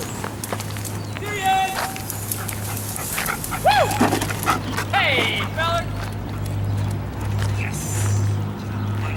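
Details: During a wildlife detection dog candidate evaluation, Sirius makes several brief whines and rising-falling whimpers between stretches of human talk, over a constant low hum.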